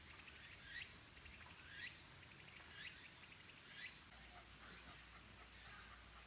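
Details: Minmin and tsukutsukuboshi cicadas singing around Kabusanji temple, Takatsuki City, Japan, in late summer: four strong rising sweeps about a second apart over a high drone, then an abrupt switch to a steadier, louder shrill buzz.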